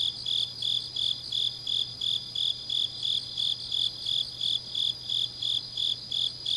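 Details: Changnyeong autumn night, grass insects: a clean, regular chirp pulsing nearly three times a second, strong and high, with softer overlapping trills from other insects and a faint steady hum below.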